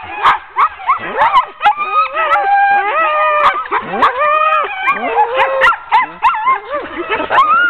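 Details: Hooking up a ten-dog sled team for a training run on October 16, 2010 sets off a chorus of eager barks, high yelps and looping rising-falling whines from many dogs together.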